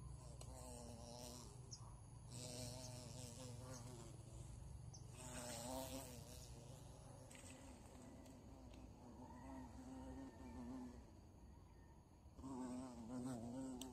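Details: Captured bees from a bush insect hunt, buzzing loudly in repeated bursts. The droning hum wavers in strength and pauses between bouts, over a deep rumbling background and scraping sounds.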